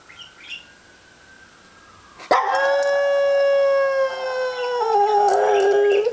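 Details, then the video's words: Pet dog howling at a siren: a faint steady siren tone first, then from about 2.3 s a loud, rich, sustained howl that dips and wavers lower near the end, lasting to the close. "howling at siren"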